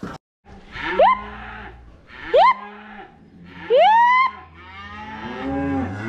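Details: Cattle being moved home, a few reluctant to come: low, drawn-out lowing under three sharp rising calls about a second and a half apart, with a steady rumble of movement in the background.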